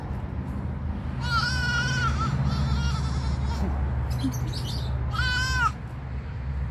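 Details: Pygmy goats bleating: two wavering, nasal bleats with strong stacked harmonics, one around second one and another near second five, over steady low rumbling background noise and faint chewing.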